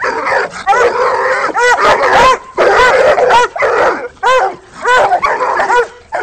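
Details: Treeing Walker coonhounds Nitro, Rocky and Molly baying at a raccoon in a rolling cage, several dogs overlapping in loud, urgent chop barks and yelping bawls with little pause between them.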